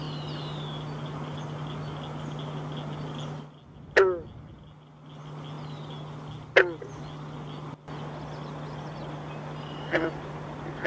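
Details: Captive green frog (Rana clamitans) in a frograrium built from native plants and soil for winter study, giving short, abrupt twanging notes spaced a few seconds apart over a steady low electrical hum.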